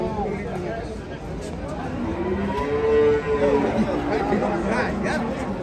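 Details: Cattle being unloaded from a truck, restless and rampaging, give a strong sustained low moo that swells in the middle and then drops away, with chatter and bustle of people around.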